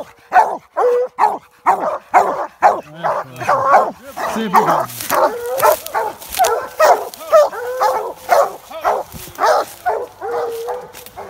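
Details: Several coonhounds, American Leopard and Treeing Walker, treeing a raccoon in swamp country. They give a steady stream of sharp, loud barks, roughly two per second, with some longer held bawling notes mixed in.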